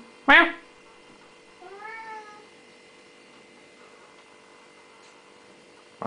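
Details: Siamese cat indoors giving a short loud cry followed by a softer, drawn-out harmonic meow that rises then falls, with a faint steady hum in the room.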